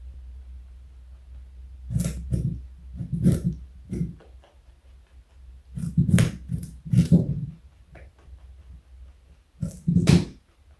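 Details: Joey the pet bunny, 4.6 kg and 60 cm plus in length, chews carrot indoors in uneven bursts of crunching, clusters of crisp bites separated by short quiet pauses.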